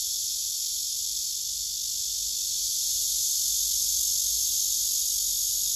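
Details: Male cicada with wings spread and abdomen raised, singing among a cluster of cicadas on a tree: an intense, sizzling high buzz that runs on without pause, swelling a little after the midpoint.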